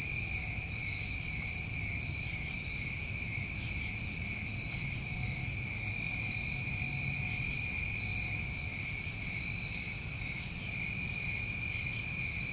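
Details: Crickets of a New England summer night form a steady shimmering wall of high trills, punctuated by two short insect buzzes around four and ten seconds.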